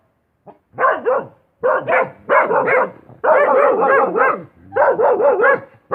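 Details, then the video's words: A dog gives rapid, closely packed barks in clusters, some running together into longer rough outbursts, with only brief gaps. "Suara Anjing"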